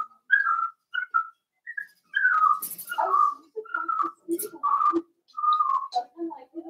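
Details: A pen of four-week-old Cavalier King Charles Spaniel puppies, Daisy's litter: a rapid run of short chirping whines and squeaks, overlapping and uneven, some sliding down, with soft lower grunts mixed in.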